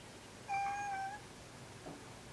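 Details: Neutered adult male cat Kuri calls as he approaches the cat Kinako, who dislikes it; one steady, clear meow lasting about two-thirds of a second with rich harmonics, then a brief soft noise indoors.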